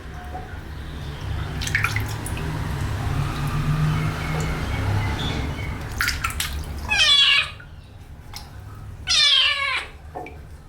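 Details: Kitten getting its first wash: soft water sounds and drips, then two loud drawn-out meows about two seconds apart, each bending down in pitch, with a low hum underneath.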